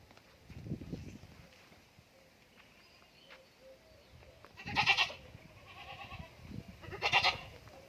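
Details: Goats on a farm in Indore, with two loud harsh bleats late in the clip, about two seconds apart, over quieter background bleating and low rumbling noise.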